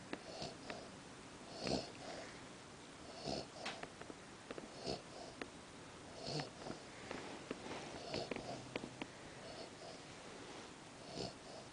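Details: JJ, a Cavalier King Charles Spaniel, asleep in the middle of the night, snoring with regular raspy, wheezing breaths about every one and a half seconds, each with a thin nasal whistle, in a quiet room.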